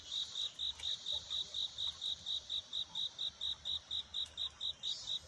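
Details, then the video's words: Cricket singing at night to find a mate, a dawn-time scene: steady high, thin chirps pulsing about three to four times a second in an even, unbroken rhythm, with a faint low background hum. "귀뚜라미 울음소리. 슬퍼 말아요 우는 것이 아니라 사랑을 찾는 노래랍니다"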